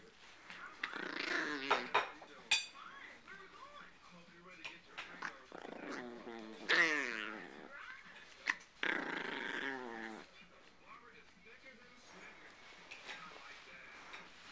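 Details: A male Chihuahua aged two and a half growls and grumbles in rising, whiny bursts, guarding his pig ear from anyone coming near, with a person talking; recorded December 17, 2008.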